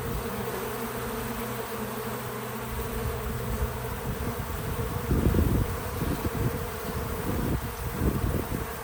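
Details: Outdoors at a small farm feeder, a bee holds a steady, even-pitched low hum for several seconds, then the sound breaks into louder, rougher buzzing bursts as bees move close; no music or talking.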